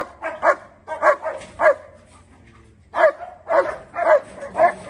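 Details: Angry German Shepherd in India barking in short harsh bursts, two clusters of three to four barks separated by a brief pause, each bark sharp and mid-pitched.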